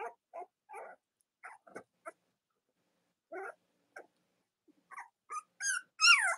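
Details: Cavalier King Charles Spaniel puppies, Robin and Myra's litters, give scattered short squeaks and grunts with pauses. The clip ends in a sharper, higher squeal that bends downward.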